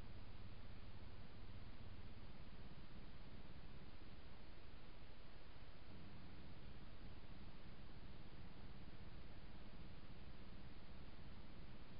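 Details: Steady broadband hiss with low rumble from a trail camera, no animal voice heard.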